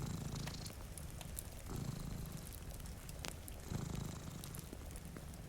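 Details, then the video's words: Pair of cats asleep before a rainy window, fire burning nearby; deep, vibrating purr pulses with each inhale and exhale, strongest near the start and end, accompanied by clicking fire crackles and gentle rainfall. "Purring Cat"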